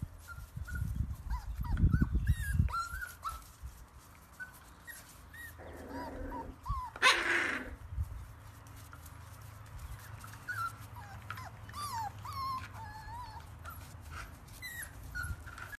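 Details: Several puppies at play give short, high, squeaky whimpers that bend up and down, scattered throughout, over low thumping and scuffling and a brief loud rush of noise midway.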